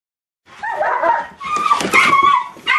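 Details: A nine-month-old Boxer puppy yipping for joy just after being let out of its kennel when its owners come home; excited, squeaky whining yips in two bursts, indoors.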